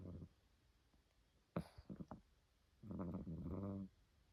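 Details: Domestic cat snoring in its sleep, sounding like a person: a short low snore at the start, a few clicks and snuffles, then a long rough rumbling snore lasting about a second.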